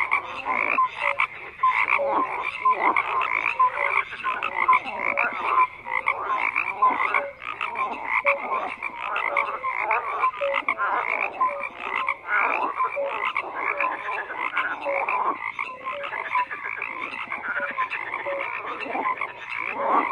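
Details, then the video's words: Frogs croaking in a dense chorus, overlapping pulsed croaks and short tonal notes stacked through the mid range, calls pouring out continuously with no pauses and no other sounds. "FROGS CROAKING"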